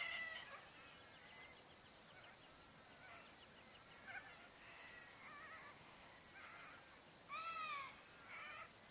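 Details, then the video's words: Still summer sunset along the Barcoo River, Welford National Park, Outback Queensland: crickets give an unbroken piercing trill topped by rhythmic bursts near once per second, while several birds add soft whistled notes and a louder looping call near the end. "Australian Sunset Chirping Crickets"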